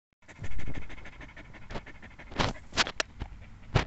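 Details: Border Collie panting in quick, breathy puffs of low noise, with a few sharper clicks and bursts near the end.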